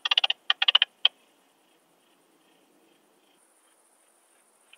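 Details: Alpine saw bush-cricket, Barbitistes obtusus, at Brixen, Italy, on 11 September 2022, monitored through an ultrasound detector: a quick cluster of short scratchy chirps, then one lone chirp, followed by near silence and another brief chirp at the end.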